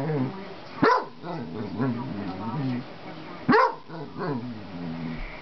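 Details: Domestic basset hound making overtures to a cat, letting out two loud barks about three seconds apart with wavering, moaning vocalizing between them.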